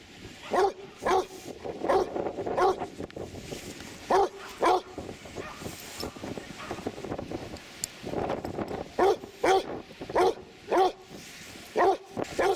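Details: Repeated barks from a dog at Three Cliffs Bay, Wales, seaside beach: clusters of two or three sharp woofs with short pauses, over a hiss of wind and surf.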